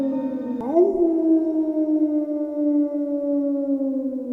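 A wolf howls, a quick rise into one long, steady note that sags slightly at the end.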